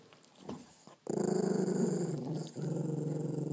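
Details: Pug-Chihuahua cross, one-eyed, growling over his very first bone, a low pulsing rumble that starts abruptly after a second and holds for the rest, dipping briefly near 2.5 seconds before resuming.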